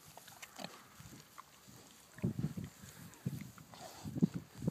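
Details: Kunekune pigs grazing on grass and trying to come up to the person filming; low soft grunts in short clustered bursts, growing busier toward the end, with faint rustling in the background.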